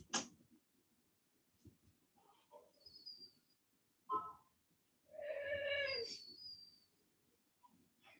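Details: A Cane Corso, the Italian Mastiff, from a breeder's pack west of Nashville, Tennessee, gives a drawn-out, wavering whine with strong harmonics for about a second, after a brief sharp yelp; quiet indoor background with faint scattered noises.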